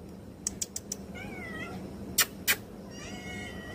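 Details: A cat meowing: thin, slightly wavering tonal meows with a gently falling tail mid-clip and again near the end, faint against several sharp clicks, two loud knocking taps and a steady low hum.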